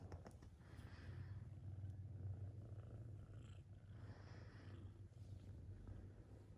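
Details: Loud purring from a kitten being massaged: a deep, pulsing rumble that swells and eases. It is overlaid by occasional swishes of hands stroking fur.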